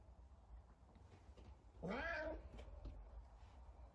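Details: Savannah cat calling out while trying to find another cat indoors: a single short, fairly soft meow that rises then falls, over low room rumble.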